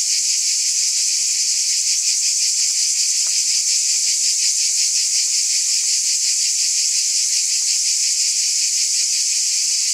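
Cicadas buzz in a steady, shimmering high-pitched drone with a fine pulsing texture.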